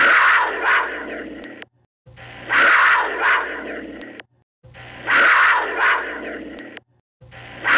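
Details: Harsh, breathy cougar growls, each burst about one and a half seconds with a double surge of loudness, repeated four times with short quiet pauses and a low steady hum underneath.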